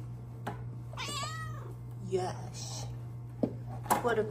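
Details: Luna, a pet cat, meows at her favourite window indoors while being petted: one drawn-out, arching meow, with a woman's affectionate voice talking to her before and after.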